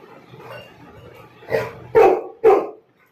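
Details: Labrador Retriever barking at an unknown person it has noticed: a low muffled grumble builds, then three sharp loud barks follow in quick succession about half a second apart, ending abruptly in silence.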